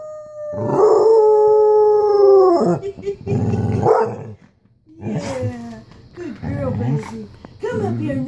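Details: Black and Tan Coonhound howling along with its owner on a Sunday morning: a long steady howl that drops at the end, followed by rougher, wavering, overlapping howls from dog and human joining in.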